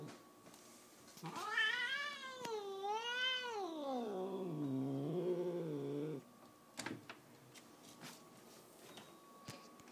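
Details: Happy female house cat letting out one long scream of about five seconds that wavers up and down twice, then slides lower into a drawn-out moan. A few sharp knocks follow.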